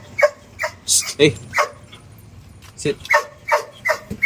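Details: Belgian Malinois dog tied on a long line during stay training on a road, giving a string of short, sharp, harmonic barks or yips at uneven intervals, with a person talking in between.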